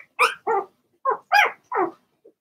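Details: Blenheim Cavalier King Charles Spaniel puppies from Remy's first litter of six in an indoor puppy pen, giving five sharp high yaps in quick succession over about two seconds, bright and clear with no other sounds.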